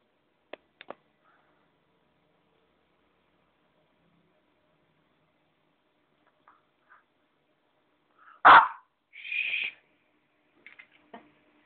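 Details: Ettore, a puppy on a bed, gives one loud sharp bark followed by a shorter, higher yip, after scattered soft clicks and rustles in a quiet indoor room.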